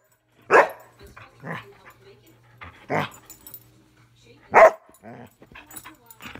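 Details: Airedale Terrier barking in play, having fun indoors; three or four short barks of varying strength spread over several seconds, the last one loudest, with soft shuffling sounds between.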